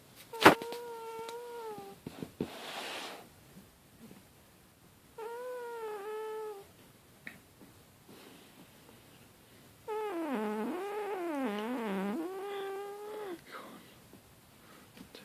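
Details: Pet cat Petal making a snoring purr, a funny noise: drawn-out harmonic moaning tones in three bouts, the last wavering up and down for several seconds, quiet room between.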